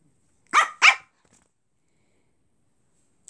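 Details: Brussels Griffon being cheeky to a cat: two quick, sharp, high yapping barks in close succession, then silence.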